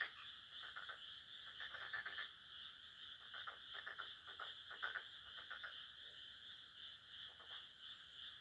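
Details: Midnight frog chorus in a rice paddy near home; several overlapping trains of quick clicking pulses, coming in groups, set against a continuous high, steady whine.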